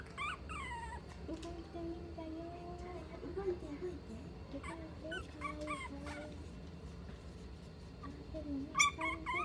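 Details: Mixed-breed dog whining at a Nagano, Japan pet shop: repeated short falling squeaks and drawn-out wavering whines through the recording, ending in a louder burst of high yelps, with background hum and soft voices.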